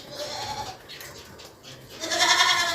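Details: Goat on a farm in Pakistan, a mother with seven kids: a faint short tonal call at first, then a loud, harmonic-rich bleat filling the final second.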